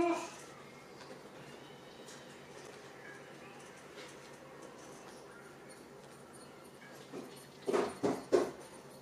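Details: Six-week-old puppies from Rainy and Fancy's litters playing together in a pen indoors; a long quiet stretch, then a quick burst of three short, sharp yips near the end.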